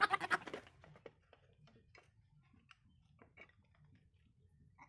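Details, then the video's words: Young goat giving one strong, quavering, nasal bleat at the very start, followed by several seconds of near silence with only faint clicks and low background noise. "baby goat sound"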